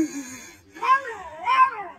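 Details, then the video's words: Domestic cat at Givat HaMoreh, Afula, Israel, giving two drawn-out, rising-then-falling meows about half a second apart, with a woman talking nearby just before and after. "КОШКА ЛАЕТ НА..."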